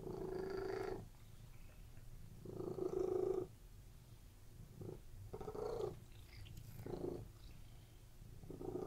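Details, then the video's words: Several relaxed domestic cats lying on a bed, purring continuously; the low rumbling purr swells and fades in bursts of about one second, alternating with quieter stretches, in a calm indoor setting. "CATS PURRING RELAXING CAT VIDEO"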